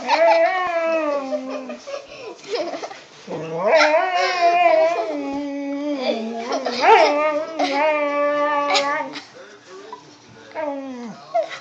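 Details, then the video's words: Pet dog Skye 'talking' indoors, a sound she always makes when people get too close to each other: drawn-out, warbling yowls that bend up and down in pitch like speech, coming in several bursts with short pauses between them. "Talking Skye (Dog)"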